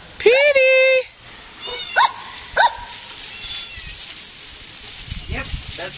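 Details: Chinese Shar Pei puppy: a sustained level tone opens, then two quick rising-falling yips under a second apart, followed by softer faint yelps and a man speaking.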